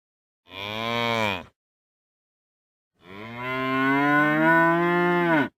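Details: Two moos from real cows: a short one of about a second, then a long, rising and sustained bellow lasting over two seconds, loud and full-toned with clean silence between them.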